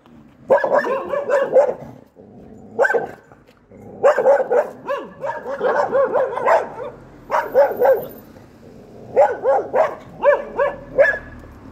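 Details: Three guard dogs barking heavily in rapid overlapping bursts, loud harmonic woofs repeated several times a second with short pauses, heard by an Alaskan Malamute that can hear but barely see them.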